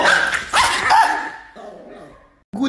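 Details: Angry Chihuahua letting out a burst of sharp, high, strained barks and yips that fade into a thinning whine, then a brief low growly sound at the end; a person's voice speaks nearby indoors.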